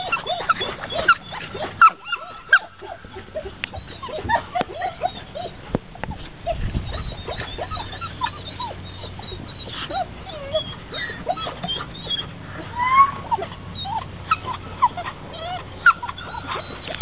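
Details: Labrador Retrievers in the background barking and whining, wanting to join a Curly Coated Retriever in the water; many short high whimpers and yelps, some rising, scattered with sharper barks and splashing-like noise throughout.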